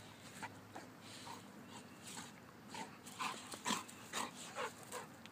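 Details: Golden Retrievers at play give a faint series of short, high yips and whimpers. They come quickly one after another in the second half, over soft rustling and scuffling.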